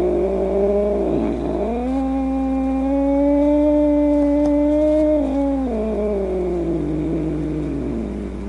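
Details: Grumpy domestic cat letting out one sustained, wavering wail: a dip, then a rise into a long steady moaning tone held for several seconds before sagging lower and fading.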